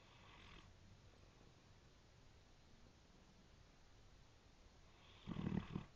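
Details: Sleeping brindle Great Dane Kingston Wyatt, whose snores are compared to a train: a snore fades out at the start, then a hush, then a deep, rumbling snore near the end.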